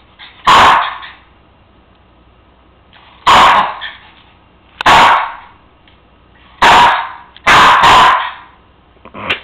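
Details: A Cairn Terrier gives sharp, bright barks at uneven intervals, demanding his bone that sits on the counter out of reach.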